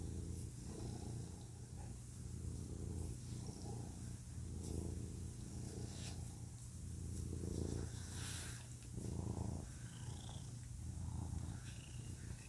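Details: Male pet cat purring close up, a low steady rumbling drone with loose, uneven swells of louder breaths and faint higher rustles above.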